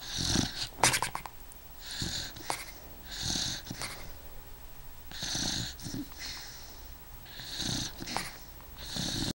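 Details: Sleeping eight-year-old beagle Snoopy snoring away, with repeated breathy wheezing snores roughly every one to two seconds, hissing and airy with faint low rattles underneath.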